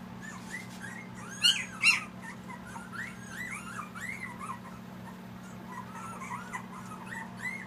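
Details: Litter of eight two-week-old Siberian Husky puppies in Panama: soft, overlapping high whimpers and squeaks, two louder yelps near the start, over a steady low electrical hum indoors.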